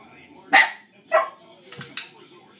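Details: Two loud, rough dog barks, then two fainter ones. Distracting barking heard during Dixie's first shaping session; Dixie is reactive to other dogs.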